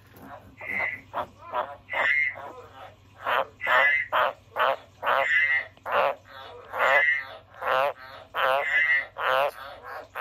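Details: Loud, fast series of croaks from a pet frog, rough pulsed notes packed close together, some with a clearer tonal edge, repeating steadily for ten seconds.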